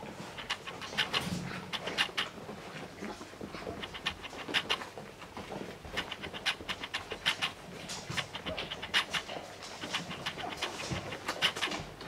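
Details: English Springer Spaniel puppies with their mother make quick, breathy panting and snuffling sounds with soft squeaks.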